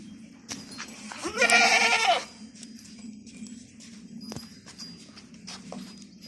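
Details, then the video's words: Osmanabadi goat weighing over 50 kg, kept for sale on a goat farm in Chiplun, gives one loud, harmonic, wavering bleat lasting about a second, with faint farm background noise before and after. "Osmanabadi Goat"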